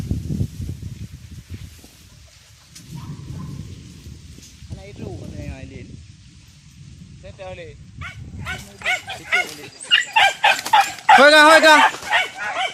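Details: Village dogs on a traditional wild boar hunt with dogs and spears: after quieter murmuring voices, a burst of sharp, harmonic barks and yelps repeats rapidly over the last four seconds, mixed with people talking nearby.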